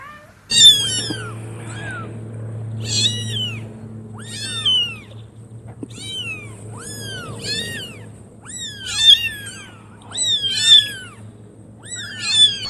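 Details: Newborn kittens giving a rapid series of high, thin meows, roughly one per second, each a short sharply falling squeak. A faint low hum runs underneath.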